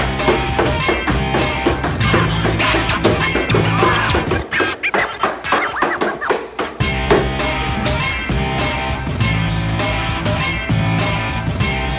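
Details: A loud band track fills the recording, with driving drums, guitar and bass, and no animal voice audible.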